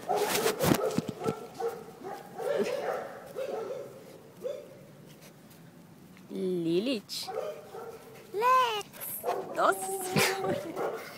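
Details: Puppies at play give short rising-and-falling yelps and whimpering yips, two clear bursts midway, while a woman talks in Portuguese almost throughout, with thumps and rustling.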